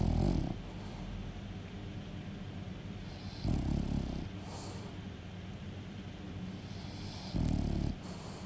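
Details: Pet French Bulldog snoring: low, rough, rumbling snores in short bursts roughly every three and a half seconds, with quieter wheezy breathing between them indoors.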